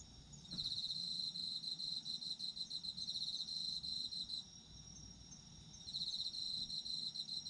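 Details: Autumn insect song meant for sleep: a fast pulsing cricket trill running for several seconds, breaking off for over a second, then returning, backed by softer high insect buzzing.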